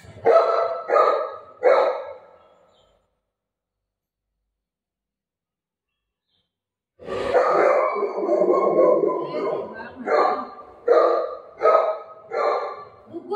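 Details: Shih Tzu named Milo barking during a haircut: a quick run of three sharp barks, a long silence, then a longer series of repeated barks mixed with a woman speaking over them.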